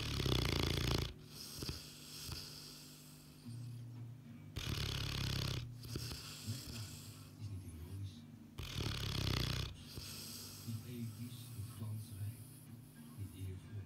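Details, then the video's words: Sleeping Boerboel snoring loudly, each deep rasping inhale lasting about a second followed by quieter wheezy breathing, repeated at a steady rhythm of roughly one snore every four seconds. "Sleeping boerboel"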